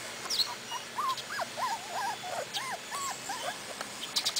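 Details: Cardigan Welsh Corgi litter, four weeks old, on its first outing with its mother in Sweden: a quick run of rising-and-falling squeaky whines, about eight short arched cries in four seconds, with light background rustle.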